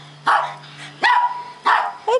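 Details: Two senior Japanese Chins, Dominic and Vinchinzo, freshly out of a puppy mill and just after their first bath: four short, sharp barks spaced roughly half a second apart, over a steady low hum, with a person speaking softly nearby.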